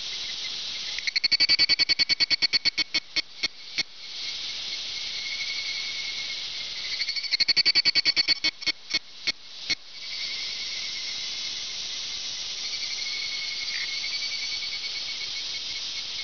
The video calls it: ヒグラシ（Evening Cicada）